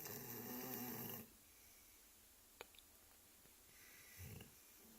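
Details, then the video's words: Max the Labrador Retriever asleep and snoring. A loud, rough, drawn-out snore fills the first second, then near-silence with small clicks, then a short low snort near the end. "Max the Labrador snoring"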